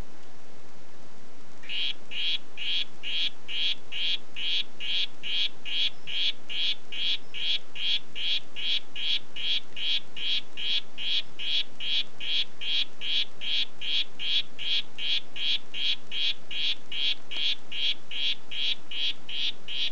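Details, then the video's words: Harlequin poison frog of the "Red Head" form giving a long series of short, high, buzzy pulses, about two and a half per second, steady and even in rhythm, beginning after a brief quiet start, over a faint low hum. "Oophaga histrionica "Red Head" Ruf"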